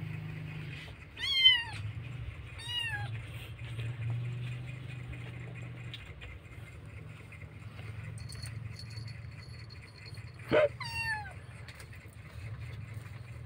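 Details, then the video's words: Kitten crying for its missing mother: three short falling meows in the first three seconds, then a long quiet gap with low hum and faint clinks, then a sharp click and another falling meow near the end. "anak kucing menangis keras rindu ibunya"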